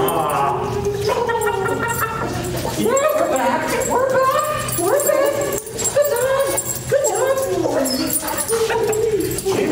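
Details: Siberian Husky reunited with his owners cries in long, sliding whines that rise and fall, excited enough to pee, with people talking over it.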